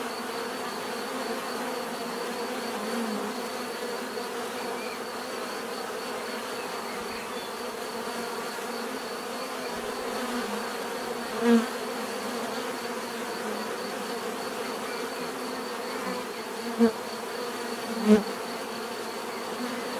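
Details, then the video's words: A swarm of bees hums in an unbroken, even drone, a few louder bees passing close now and then, briefly standing out from the steady background buzz. "bees therapy relaxing natural buzzing sound"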